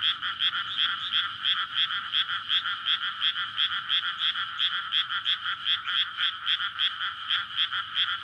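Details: Many frogs calling together at night in May in a freshly flooded rice paddy surrounded by houses, courting before egg laying; dense, loud croaking pulses stacked in two bands, throbbing about three times per second, recorded on a SONY PCM-D100.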